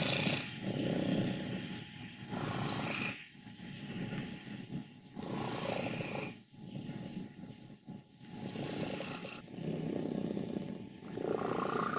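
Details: Fourteen-year-old contented female house cat Wassilissa in Leutkirch im Allgäu, Germany, declared healthy by her vet, purrs and grumbles in rattling bursts about every one and a half seconds, swelling and fading with each breath, some bursts carrying a higher squeaky edge.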